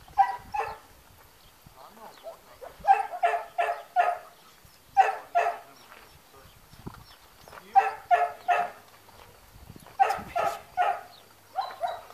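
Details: Trained long-haired German Shepherd on guard duty at a training school in Spata, Greece, barking in loud bursts of two to four deep, harsh barks, the bursts coming about every second with brief pauses between, plus faint background voices.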